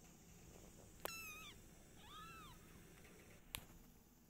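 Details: Household cats, a mother cat named Silky with her kittens and their father, give two clear high meows about a second apart: the first sliding down and ending in a short dip, the second a smooth arched mew; sharp clicks before and after.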